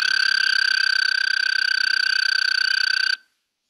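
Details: An American toad gives a long, steady, musical trill holding one even pitch before stopping abruptly; such toads chorus in the evening in early summer.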